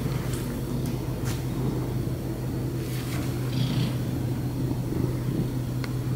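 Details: A happy cat purring: a steady, low rumbling throb runs unbroken through the whole stretch, with a few faint soft clicks and scratchy rustles above it.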